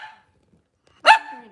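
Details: Cavalier King Charles Spaniel on a kitchen cam on a cloudy Monday morning, a faint whine fading out, then one sharp, loud yip-like bark with a brief falling tail.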